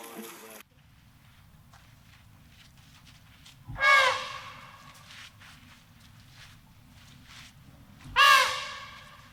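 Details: Two short, harsh elephant trumpets about four seconds apart, each a bright, noisy burst with a brief bending tone, over a low steady background hum.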